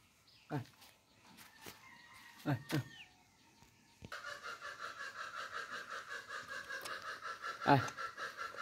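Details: Goat. After several scattered knocks and thuds, a kid goat lets out a sustained, wavering bleat. The voice pulses rapidly and evenly, giving it a trembling, nasal quality.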